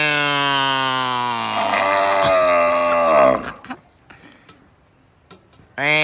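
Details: A cow gives a long, droning moo that slowly drops in pitch, then starts another.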